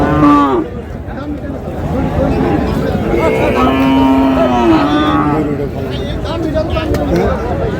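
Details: Lean, bony dairy cows at Raniganj cattle market in Dinajpur, Bangladesh, on a Thursday market day, 25 June: a short low moo opens, then a longer drawn-out moo bends upward midway, over constant crowd chatter and a man talking.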